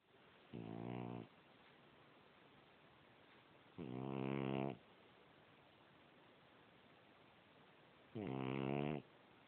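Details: Sleeping French Bulldog snoring: three loud, rasping inhalation snores at roughly four-second intervals, each lasting under a second, with quiet breathing between them in an indoor setting.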